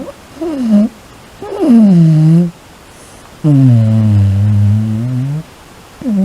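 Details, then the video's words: Sleeping Shiba Inu snoring over and over with fart-like sounds; low droning, buzzy tones that dip and level out, in bursts of about one to two seconds separated by short pauses, in a quiet room. "おならのようないびきを連発する柴ワンコ A Shiba Inu that snores like a fart"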